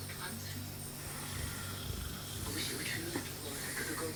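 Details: Ra, a Mastiff cross dog, asleep and snoring on 22 June 2014: a low, droning, rumbling snore with a steady hum in the first half, then a softer, breathier stretch toward the end.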